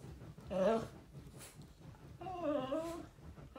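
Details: Shiba Inu dog communicating: two whiny vocalizations rich in overtones, the first short and arching, the second longer and wavering, with a quiet background between them.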